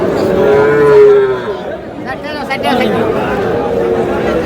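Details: Sahiwal bull calves at a cattle market in Sherpur, Bangladesh, on 22 July: one drawn-out, low, steady moo lasting about a second, then sliding slightly down, over constant crowd chatter and bargaining voices.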